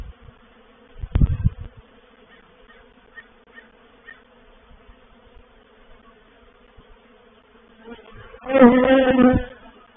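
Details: Honey bees from a reproductive swarm moving into a bait hive at Painted Peacock Manor, 04/07/21; a quiet background hum, a loud bump early on, then a close bee passing with a strong rising-and-falling buzz near the end.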